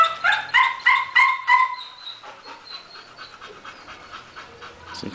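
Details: Female Bull Terrier giving a run of high, whiny vocal bursts, about five quick pulses in the first two seconds, then softer breathy sounds with people talking in Portuguese nearby.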